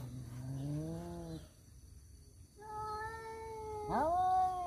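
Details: Male house cats brawling over a female: a low, wavering growl-like moan rises slightly and stops, a short silence follows, then a higher sustained yowl and a sudden sharp rising howl.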